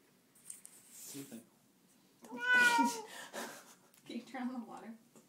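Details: Black and white female cat protesting loudly while being bathed indoors; one drawn-out harmonic meow rising then falling in the middle, with quieter sounds and splashing before and after.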